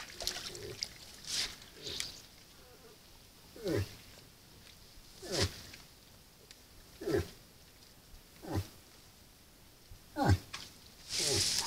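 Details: Moose at a salt lick during the rut, recorded by a camera trap: short, low, downward-sliding grunts repeated about every one and a half seconds over a steady background hiss.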